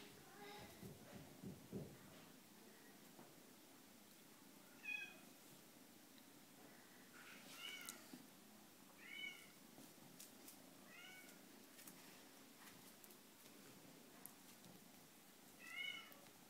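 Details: Valmont, an eight-week-old male seal lynx marble Bengal kitten, gives short, thin, high meows, each brief and slightly arched, spaced every two to four seconds in a quiet indoor room with faint rustling.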